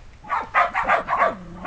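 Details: Sheltie herd of adult dogs and six 8.5-week-old puppies playing outdoors in a yard; rapid string of sharp mid-pitched barks, about five in a second and a half, ending in a drawn-out whine.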